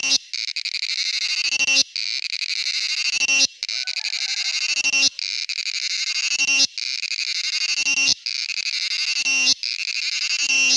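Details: A male cicada's rasping, rattling buzz, delivered in about seven bursts of around one and a half seconds, each ending abruptly before the next begins; a faint low tone briefly near the middle.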